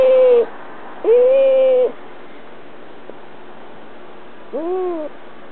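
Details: A pet cat whines while held in someone's arms: two sustained, level, nasal cries followed after a pause by a shorter arching whine, harmonics stacked clearly, background otherwise quiet.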